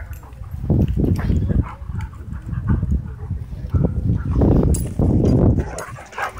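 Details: Wild play among dogs at a dog park, heavy low rumbling growls in bursts that rise and fall over several seconds, with little else besides faint outdoor noise.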